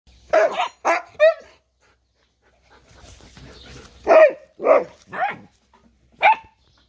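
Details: Siberian Husky father meeting his puppies for the first time, indoors; short sharp barks and yelps in bursts, a pause with faint rustling, then a run of four more barks.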